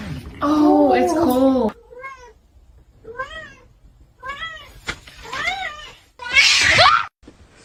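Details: Kitten meowing: a human voice opens, then a run of short, arched, whiny meows repeated roughly once a second, ending in a louder, harsher cry.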